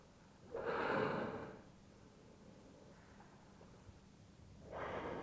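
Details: Whale blows recorded from a kayak in Bahía de las Conchas, Baja California Sur, calm sea; one strong rushing exhalation lasting about a second, then a second rising blow near the end.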